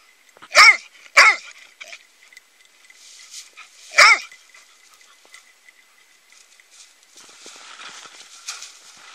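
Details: Dog barking: two sharp, loud barks in quick succession, then a single bark about three seconds later, followed by quiet background rustling.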